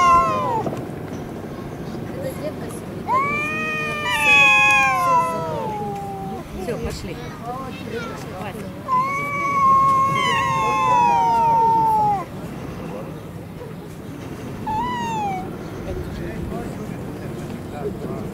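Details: Street fight between stray cats in Russia: several rising-and-falling yowls come in bursts, one long wailing howl around the middle, short sharp cries after, with traffic rumble and distant voices beneath.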